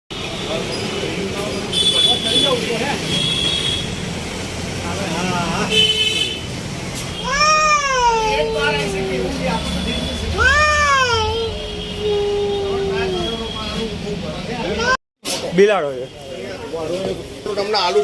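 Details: Cat trapped for three days in a 3-inch round concrete construction pit for AC wiring pipes at a medical facility: two loud, drawn-out meows, each rising then sliding down, a few seconds apart, amid voices, traffic noise and car horns.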